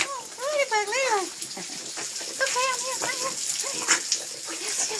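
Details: Little dog named Ladybug greeting its owner on return after an hour away: high, arching whimpers rising and falling in quick repeated bursts, some squeaky, while a person talks excitedly over them.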